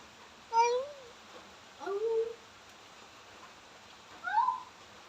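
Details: Domestic cat making an odd sound while pooping: three drawn-out, wavering meow-like cries, each bending up then down, spaced about two seconds apart in a quiet room.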